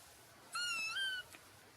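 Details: A four-week-old black and white male Exotic Shorthair kitten gives one clear, high, wavering meow lasting under a second. It dips slightly, then lifts at the end, followed by a tiny soft click.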